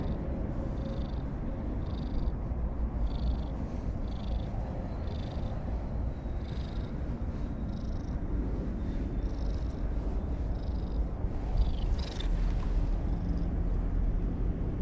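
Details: A stray brown-and-white cat by a lakeside purrs in a steady, low rumble that runs unbroken throughout, with faint soft breathy pulses roughly once a second above it.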